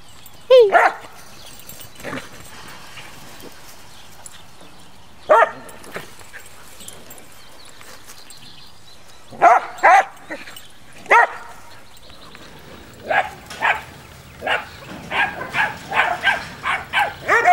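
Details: Puppies in 2013 giving sharp, high yips and short barks, scattered singly with long quiet gaps early on, then coming faster and more steadily in a run of rapid yaps toward the end.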